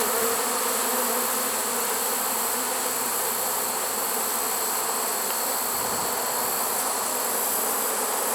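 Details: Honey bees of a trapped swarm, caught surprisingly late in the season, 1 September 2019. There is a steady communal drone with faint flickering pulses within the hum, plus a constant thin high hiss above it.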